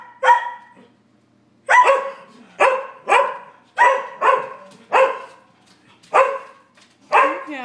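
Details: A Sheltie, a Collie and a French Bulldog barking at a squirrel, rainy March day; one bark, a second-long pause, then a string of loud, sharp barks spaced about half a second apart.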